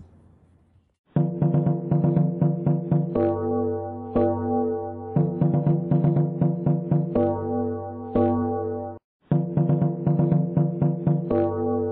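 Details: Rhythmic electronic keyboard music with repeated synthesized chords pulsing about four times a second, pausing briefly near the start and again before the end; no animal voice is heard.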